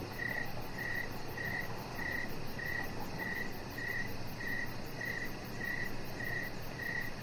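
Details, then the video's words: Crickets calling outdoors in the evening near a lit deck: about a dozen short, high chirps at a regular pace of roughly one every 0.6 seconds, with a faint, fast high pulsing above and soft low rumble. "Cricket Sounds"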